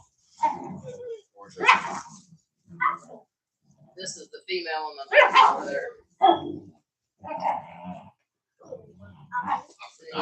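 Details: Cane Corso, or Italian Mastiff, from a breeder's pack west of Nashville, Tennessee, giving short deep barks and growly bursts in separate spaced bouts, mixed with human talking throughout.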